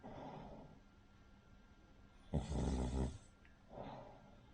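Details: Asleep, the Cavalier King Charles Spaniel Rin gives one loud, buzzing, rattling snore lasting under a second, followed by a softer exhale, snoring much like a pug or bulldog in a quiet room.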